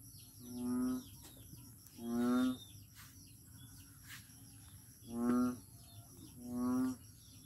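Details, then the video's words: Four low, buzzy, bleating moans from a frog at Daanbantayan, Cebu, each lasting under a second and spaced irregularly, with a constant hiss of insects and faint ticking chirps high above. "Noisy Frog"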